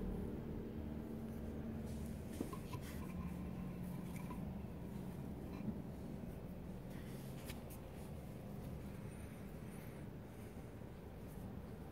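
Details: Only a steady low rumble like a running vehicle or indoor machinery, with faint clicks and no animal calls.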